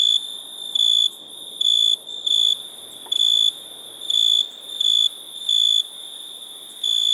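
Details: A cricket chirps in shrill, high bursts, each lasting about a third of a second and recurring every half to one second, over a fainter steady trill from the background.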